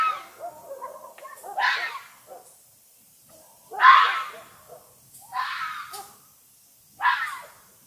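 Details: Night-time fox howling and barking: four rough, rasping screams spaced unevenly, with faint lower whimpering sounds between them.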